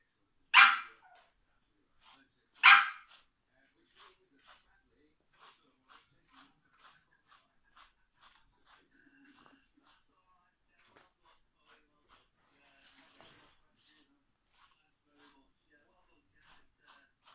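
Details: Tuppence, a female Biewer Terrier puppy, during grooming after having her face clipped and before a microchip implant. Two sharp, loud barks about two seconds apart, followed by faint, soft clicking and shuffling sounds in a quiet indoor room.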